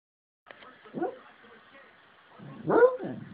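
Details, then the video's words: An 8-year-old rescue Beagle, a deep sleeper, sleep-barking and baying while asleep: a soft muffled yelp near one second, then a louder drawn-out, wavering bay around two and a half seconds, with a faint steady hum behind. "Beagle Sleep-Barking/Baying"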